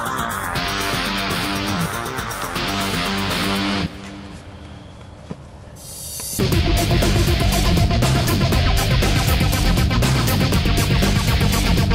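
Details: Loud electric guitar rock music with heavy drums, dropping briefly to a quieter passage midway before surging back, with no animal sounds.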